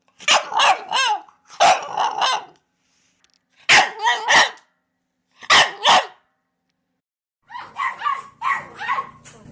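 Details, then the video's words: Dog barks in clustered bursts, some with a whiny, rising edge, and a rougher, noisier stretch of barking closes the sequence. "강아지 짖는 소리"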